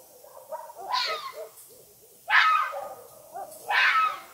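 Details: Three harsh, strained screams from a fox at night, each a rough burst, with soft muttering notes before the first.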